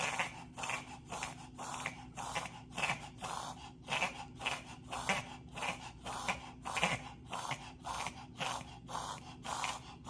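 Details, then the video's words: Pet dog reverse sneezing indoors, a reaction the owner links to pollen allergy: rapid rhythmic snorting gasps, roughly one a second, harsh and airy, steady throughout with a faint low hum behind. "If your dog is making a strange sound. This is what's happening"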